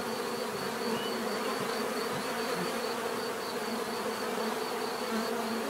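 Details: Bees buzzing in a natural setting: a dense, steady drone with overlapping wingbeat hums in the low-mid range and a faint high whine, continuous throughout without pauses.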